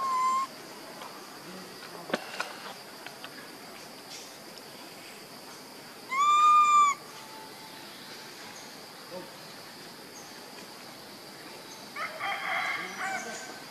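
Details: Baby monkey Leo, missing his mother and hungry for milk, gives a brief whistled cry, then a longer, clear tonal wail with bright overtones after a quiet pause; a soft rustle closes the passage over steady background hiss.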